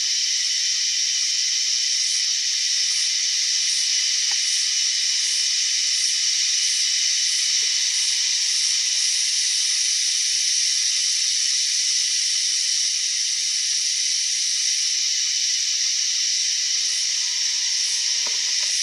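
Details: Strange cicada sound, a constant piercing buzz lasting throughout, topped by a faint very high pulse repeating roughly every 0.6 seconds and a thin steady whine in the middle section.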